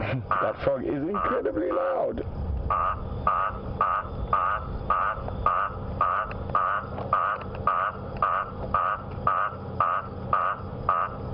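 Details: An Eastern olive toad in the African bush at sunset on a humid, threatening-rain October evening gives loud nasal croaks about twice a second after a brief human voice; first thought a guttural toad.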